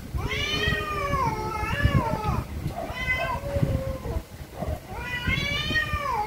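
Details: Angry cats meow very loudly in long, drawn-out harmonic wails, each holding a steady pitch before dropping at the end, three main calls with a low hum beneath.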